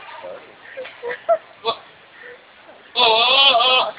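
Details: At the Peanut Festival in Dothan, Alabama, a goat gives a few quieter bleats and scattered sounds, then a loud, harsh, wavering cry like an old man groaning.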